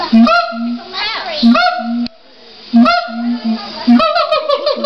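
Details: Captive siamangs at LA Zoo calling: short level booming hoots repeat between swelling, upward-sweeping whoops about every one to two seconds, loud and resonant.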